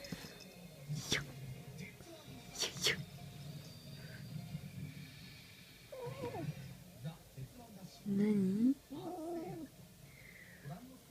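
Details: Two-month-old kitten in a heart-shaped fighting mode, throwing heavy cat punches; short wavering, growly cries rise and fall midway and near the end, while a man talks and laughs over rustling handling noise.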